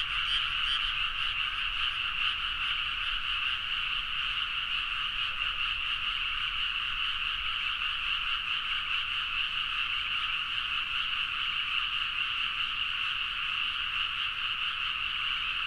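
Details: Many frogs calling together deep in the night in rice paddies at Nagaoka, Niigata, Japan, recorded on a Zoom H4n; an unbroken, even chorus of croaking, with a louder nearby caller briefly at the start.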